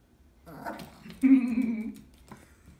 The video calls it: Cute Little Chihuahua Dog Barking & Wanting Attention!! 🤣